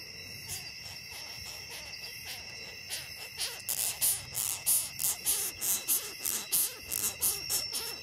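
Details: Quiet at first, then a longhorn beetle starts a regular train of loud, dry, scraping pulses, each a brief hiss repeated more than once per second, with a constant high whine underneath.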